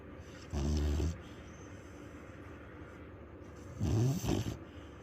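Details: A sleeping dog snoring very loudly, two deep, rumbling snores about three seconds apart, each lasting around half a second, over a quiet room hiss.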